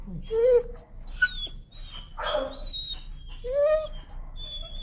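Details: A timid dog, fearful of the leash, protests during desensitizing walks with drawn-out, rising and falling whines, some high and thin, broken by bursts of human speech and background noise.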